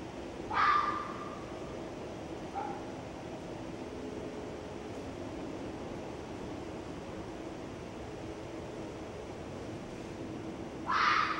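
A female red fox gives harsh, raspy screams, two loud ones well apart with a faint short cry between.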